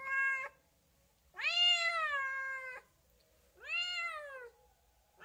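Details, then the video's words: A house cat's meows: a short clipped one, then a long sustained meow over a second long, then an arched rising-falling meow, with silence between. "chat qui miaule | cat voice sound"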